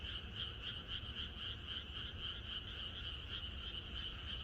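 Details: Countryside frogs calling together the night before rain, rapid repeated croaks from many animals overlapping into a constant throbbing chorus, low ambient noise beneath.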